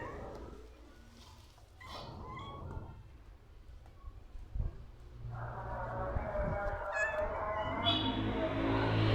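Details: Cat circling the person repeatedly, letting out a brief meow early on and then a longer, drawn-out whiny meow that grows louder toward the end, over steady low-pitched background rumble.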